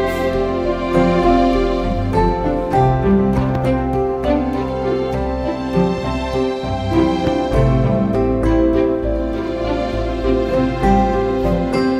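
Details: Gentle, melancholy instrumental music fills the whole stretch, with sustained tones and slow chords. No meows or other animal sounds come through.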